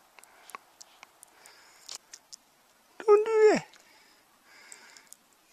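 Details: Newfoundland dog named Mig playing with his stuffed squirrel toy indoors in Newfoundland, Canada, gives a short, harmonic whine or yelp of about half a second, preceded by soft snuffling clicks, with a person talking nearby.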